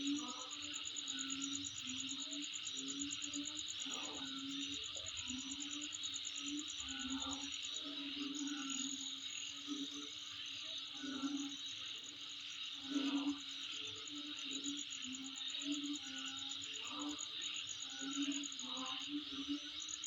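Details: Insects calling near home: a steady, rapid high-pitched pulsing trill runs throughout over a dense hissing chorus, while low humming or hooting notes come and go every second or two.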